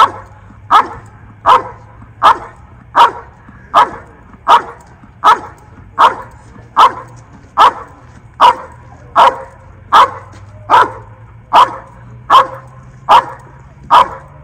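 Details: Mako, a Belgian Malinois in early Schutzhund training, performing the bark and hold at a blind during the protection phase search: rhythmic, forceful single barks repeated almost every second over a low background hum.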